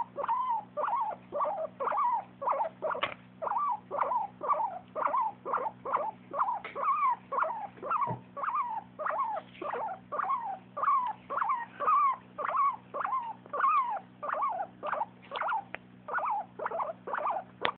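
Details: Happy sounds from a dog: a steady series of brief, squeaky, slightly upward-bending whimpers, about two each second, continuing throughout against a constant low electrical hum.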